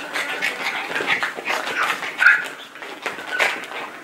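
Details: Playing Yorkshire Terrier making soft whiny yips and whimpers indoors, short breathy bursts about once a second, with one sharper squeak in the middle.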